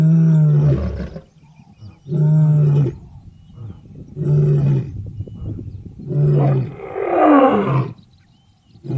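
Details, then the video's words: Lion roaring, said to be in its natural habitat: five deep, moaning roars roughly every two seconds, each low and grunting, the fourth and fifth harsher and more strained, with quiet breathing rumble between them. "Rugido do Leão | Som do Leão"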